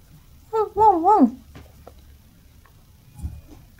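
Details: Female apricot Toy Poodle puppy, born 28 November, lets out one loud, wobbly whine that wavers up and down for under a second, then trails off into soft low rustling in a quiet room.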